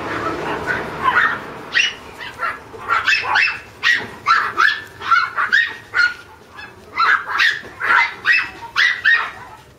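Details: A red Toy Poodle puppy gives rapid, high-pitched yips and whimpering barks in quick succession.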